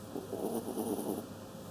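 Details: Kaninchen Dachshund asleep and snoring, one throaty, rattling breath stretched over about a second, heard through a steady faint background hum.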